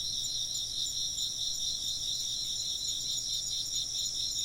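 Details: Short burst of chirping insects: high, quick-pulsing trills in layered bands, steady and continuous over a faint low background hum.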